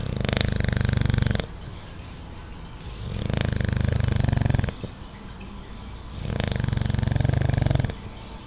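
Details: Watson, a dog dozing in his favourite spot, gives moderate snoring: three long, low, buzzing snores, each lasting over a second, with quieter breathing between them, about every three seconds.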